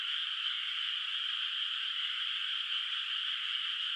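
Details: Frog voices carrying across a moonlit, still-unplanted rice paddy on a rural night: a thick, uniform mass of shrill, buzzy trills from many callers, steady in loudness without pauses, and no other sounds.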